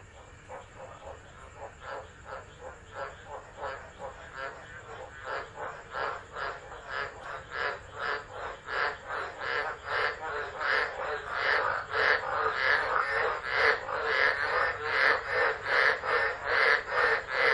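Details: Tropical frogs calling during a tropical low storm at Driver, Northern Territory, Australia, 13 December, recorded on a phone left on the ground; a dense chorus of rapid pulsed croaks, about two or three a second, building steadily louder.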